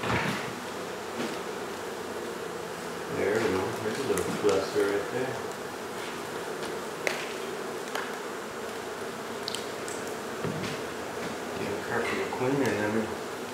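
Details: Honey bee colony inside a second-story wall of a home in Mission, Texas, disturbed during hive removal and relocation; a steady, dense droning buzz fills the recording, with a few faint voices and scattered knocks.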